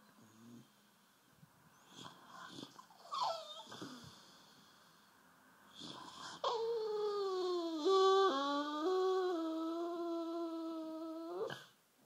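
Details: Half-asleep bulldog Rufus sulking on the sofa gives soft snuffles, then a long steady whining moan lasting several seconds that dips and wavers in pitch before stopping.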